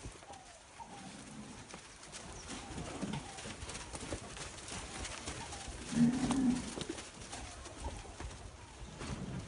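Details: Nelore calves from fixed-time artificial insemination, offspring of the sires Numaru da Matinha and Extremo da Grendene; a short, low, droning moo rises near the six-second mark over a steady rustling background with faint bird chirps.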